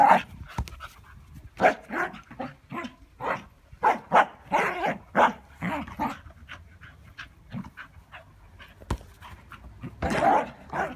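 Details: Scottish Terrier panting while playing ball: quick, breathy puffs repeated several times a second in steady runs, growing fainter midway, then a louder rough burst near the end.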